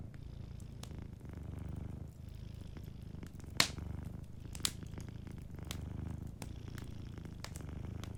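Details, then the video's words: Sleeping cat purring softly beside a warm fireplace: a low, steady rumble with gentle rhythmic swells, punctuated by sharp crackles and pops from the burning fire. "Warm Fireplace Ambience with a Sleeping Cat 🐱💤Fireplace & Soft Purring"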